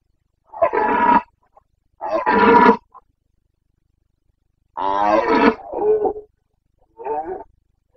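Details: Rutting red deer stag of the Carpathians, Bucovina, Romania, 29 September 2022 breeding season. Powerful, raspy roars with dense harmonics come in bursts, one drawn-out bellow sliding into a lower groan, then a shorter final call.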